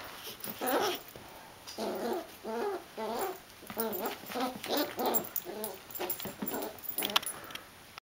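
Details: A 9-week-old dachshund puppy growls in quick, high-pitched grumbling bursts, one after another, while attacking a ball.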